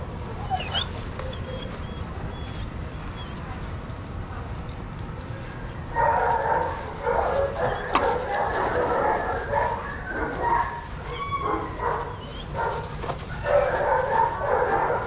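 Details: Dogs at play in a shelter yard at Pima Animal Care Center in Arizona, under watch of handlers; quiet yard noise at first, then from six seconds a burst of rapid, overlapping barks and yips from several dogs, coming and going in waves.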